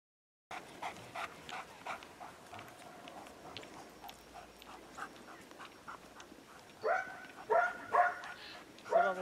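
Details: Hovawart barking during protection training on 26 January 2014, a session focused on barking at the helper in the blind and obedience during protection work; a run of rapid sharp barks, then louder, deeper harmonic barks near the end, with faint voices.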